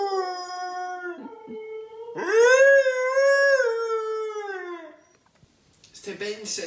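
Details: Siberian husky howling in the morning together with its owner; a long tonal howl swells, holds and slides down, followed by a human voice speaking.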